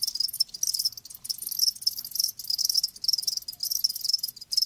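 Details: Group of live crickets chirping, a bright, high, dense trill in uneven bursts with short silent gaps, overlapping voices and nothing else audible.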